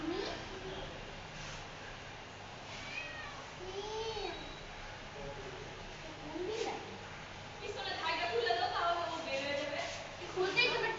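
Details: Cat stuck in a window, giving repeated short plaintive meows, some rising then falling, growing louder and more frequent toward the end, while people talk nearby.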